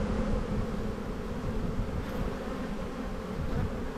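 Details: Spring hive inspection of honey bees in a bee yard, dated 7-9-22: a thick, unbroken low buzzing from the open colony, even in loudness throughout, with no other sounds.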